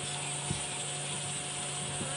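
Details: Cicadas make a steady, high, shimmering buzz at sunset on a safari drive at Djuma Game Reserve, South Africa, in January, with a low engine hum and a few faint clicks beneath it.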